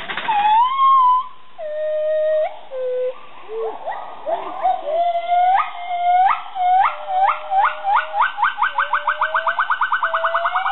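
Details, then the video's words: Two female gibbons at a gibbon and siamang rescue programme in Indonesia (Borneo/Sumatra) sing: pure, rising whoops that build into a fast, climbing series of hoots. "Gibbons singing"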